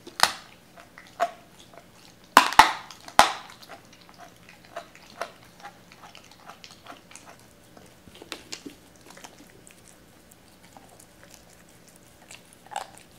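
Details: Doberman Cola eating raw chicken indoors, a little hesitant on camera; loud burst of crunching bites early, then quieter scattered chewing and licking sounds.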